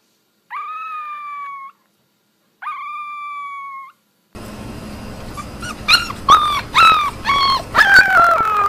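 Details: Puppies learning to howl: two long, steady, flat tones with short silence between, then a burst of excited yips and short rising howls tumbling over one another, growing louder toward the end.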